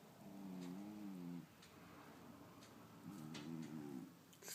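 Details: Pet cat snoring in a small room, two drawn-out, low buzzy breaths with stacked tones about two seconds apart, a faint tap at the end over steady room hiss.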